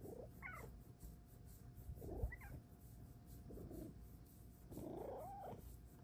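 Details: Pet cat, female, meowing indoors while being talked to: three or four short, soft meows that rise then fall, the last one longer and wavering, with low room hum underneath.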